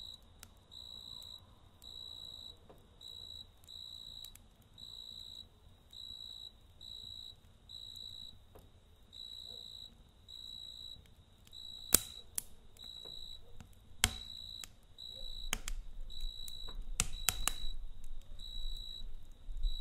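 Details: Cricket chirping at night beside a campfire: a steady, high, pure-toned chirp repeated roughly twice a second in short bursts, with sharp crackles and pops from the fire and a low rumble growing louder toward the end.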